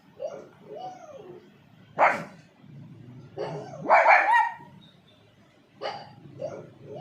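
A pug gives a few sharp, hoarse barks spaced a couple of seconds apart, with soft whiny grunts between.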